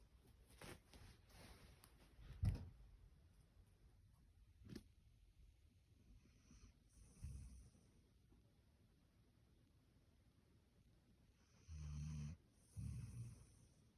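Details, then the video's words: Standard Poodle sleeping soundly in bed, snoring indoors: a few low, rough breathing snores, one near the middle and a longer pair toward the end, with soft rustling and small clicks early on in a quiet room. "スタンダードプードル いびき"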